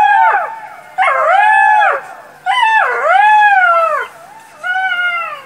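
Jackals howl in quavering, siren-like wails that bend up and then slide down. Several voices overlap in a series of bursts of about a second each, with brief pauses between.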